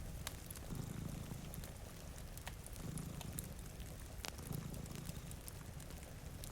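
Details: Low rumbling purr from two cats sleeping by a rainy window, rising in soft surges roughly every two seconds, with snapping fire crackles and a hiss of rain layered over it.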